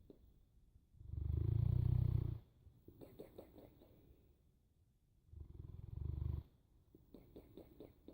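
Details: Sleeping Boerboel giving two long, heavy, low-pitched snores, the first over a second long and the second slightly shorter, separated by quieter stretches of faint, quick clicking sounds.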